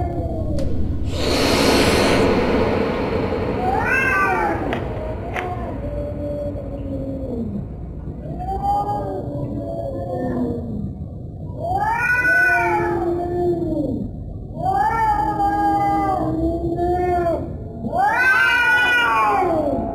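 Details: Scary cat sounds: a short burst of harsh noise, then a string of arched, wavering meows of varying pitch. Some are low and moaning, others higher and louder, coming roughly every one to two seconds.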